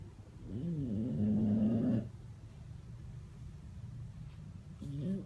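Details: Sleeping bulldog at My Second Home in Dubai, October 2015, in a snoring competition: one long, rough, rising-and-falling snore of about two seconds, then quiet room noise and a faint snuffle near the end.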